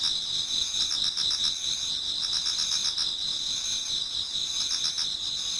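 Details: Towards dawn in autumn, many insects sing in a Japanese garden: rapid pulsed chirping, roughly four pulses per second, layered over an unbroken shrill trill.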